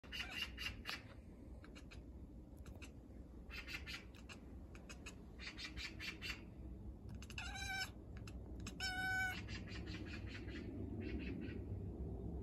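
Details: Domestic cat crying after catching sight of a bird: two short harmonic, nasal meows, one near the middle and one just after, set among rapid bursts of sharp clicking and a steady low background rumble.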